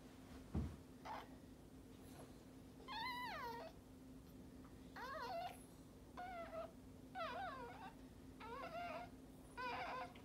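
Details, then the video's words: Maltese dog giving birth to her second puppy of a litter of three. High, wavering, whining cries with rich overtones come in short bursts of under a second, roughly every second, over a steady low indoor hum. "Maltese dog giving birth"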